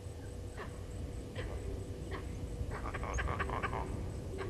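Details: Vervet monkeys in Djuma Game Reserve, Sabi Sand Wildtuin, South Africa, calling in alarm at a male leopard moving past a waterhole: faint, sharp barking pulses at first, then a rapid burst of chattering calls, over steady low background rumble.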